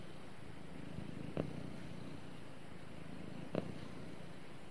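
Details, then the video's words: Domestic cat purring contentedly during snuggle time with its owner, a quiet low rumbling hum with two short rustles about two seconds apart. "Cute Cat Snuggles With Owner And Purrs"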